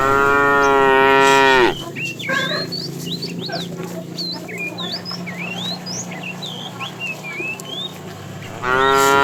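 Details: Herd of tame cows moving toward fresh pasture; a long, rich moo opens, then a gap full of rising whistled bird chirps over low background hum, before another moo begins at the end.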